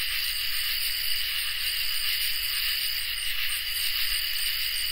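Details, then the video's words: Crickets and katydids in a summer night chorus: thick, continuous high-pitched trilling in stacked layers, with a light flickering pulse at the top and no other sounds. "Crickets and Katydids in Summer | Ambient Night Chorus"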